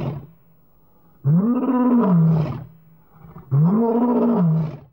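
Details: Young elephant charging a filming vehicle in the Okavango Delta gives two loud, deep roars about two seconds apart. Each swells upward in pitch and then sags back down, lasting just over a second, over a low steady hum.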